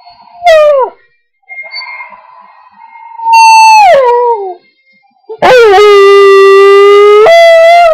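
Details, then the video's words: A pet dog howls to bagpipe music, giving short falling yowls and a longer sliding howl, followed by loud, steady, held bagpipe notes that step up in pitch. "howling to bagpipes"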